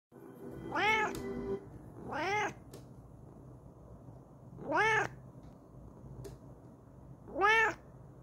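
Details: ['Kokoa, a Bengal cat, yelling excitedly in her new chair indoors: four loud, arched meows with rich harmonics, each rising then falling, spaced about two to three seconds apart over a quiet room background.']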